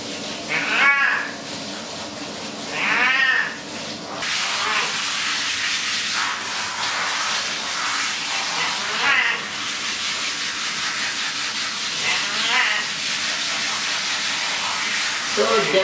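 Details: Pet cat getting a bath indoors, with a few wavering meows near the start and another pair later, mostly drowned by a steady hiss of spraying shower water and occasional human speech.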